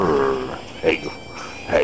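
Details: Lobo, a roughly ten-year-old rescue husky, vocalizing playfully while being petted and scratched: a sustained, tonal, harmonic whine lasting half a second, then short softer voicings, with a person talking nearby.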